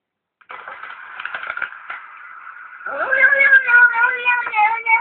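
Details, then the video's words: Domestic cat making a sound meant to be funny. A soft, rough, murmuring vocalization leads into a drawn-out, tonal, wavering howl-like meow that holds steady for about two seconds until the end. "funny cat sound"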